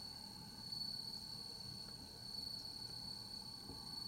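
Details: A bell cricket, recorded on 15 September 2021, sings a pure, bell-like ringing note, high and sustained with only slight pulsing, over a soft low rumble.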